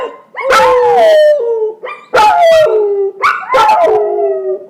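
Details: Beginner howling by puppies Jagger and younger brother Sasha: three loud howls about every second and a half, each opening with a sharp yelp and sliding down into a sustained wavering tone.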